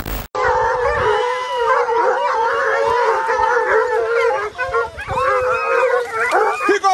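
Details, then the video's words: Six American Foxhounds baying while chasing a deer on a hunt: several dogs give long, overlapping, wavering howls that rise and fall continuously, forming a steady chorus with brief dips, and men's voices are faint in the background. "Levantes de cachorros atrás do veado - Six dogs uplift after the deer"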